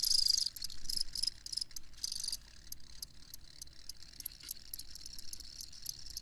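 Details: Cricket chirps offered as a sleep recording: a dense run of high pulsing chirps for the first two seconds, then fainter scattered ticks over a soft low background hum.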